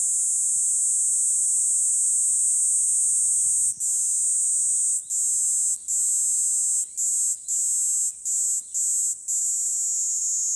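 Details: A Kaempfer cicada sings on a walking path along a commute route in early summer, a high, steady, hissing buzz that later breaks into short bursts.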